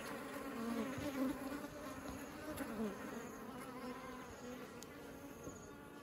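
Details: Many honeybees bringing honey into their hive, heard as a thick, continuous droning buzz with wavering tones that rise and fall slightly over a few seconds.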